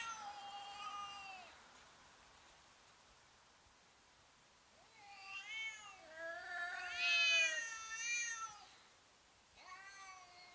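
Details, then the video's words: Cats threatening each other before fighting, slow motion: a falling wail, a quiet pause, then a cluster of wavering, quavering yowls building to a loud peak, and one last brief cry. "funny cats intimidating each other and making strange sounds"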